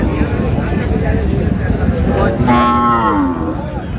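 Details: At Raniganj market in Dinajpur, Bangladesh, where lean dairy cows are sold: after a stretch of loud crowd noise, one cow gives a single moo of under a second near the end, with bargaining voices around it.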